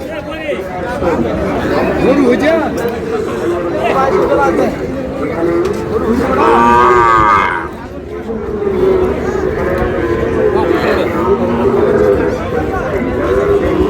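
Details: Cattle market on 16 August where Sahiwal bull calves, around six months old, are bought by a farmer from Noakhali: a loud, drawn-out moo with layered harmonics swells midway, surrounded by dense crowd chatter and men haggling over prices.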